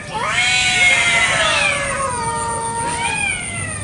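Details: Free-roaming village cats fighting over territory in a garden one morning; long, ear-piercing wailing yowls that rise and fall in drawn-out sweeping tones, with a steady high electronic whine in the background.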